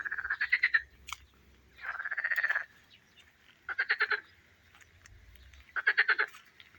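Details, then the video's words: Frogs singing in a garden pond: bursts of fast, pulsed, rattling trills, each lasting under a second. Four main bursts arrive about every two seconds with quiet gaps between them, and there is a faint low rumble in the background. "ще послухайте як наші жабки співають"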